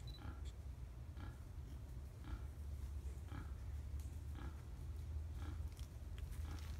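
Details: Wild boars at Tampa, 5 November 2015, give a string of brief nasal grunts, roughly one per second, set against steady low-frequency rumbling background noise.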